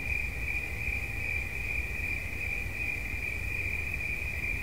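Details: Cricket giving a steady, unbroken high-pitched trill that holds one even pitch throughout, over a low rumbling background noise.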